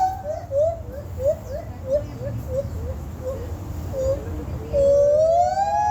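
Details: A monkey from Sumatra, Indonesia, at Santa Ana Zoo gives quick, rising hooting notes that end in a long, climbing whoop.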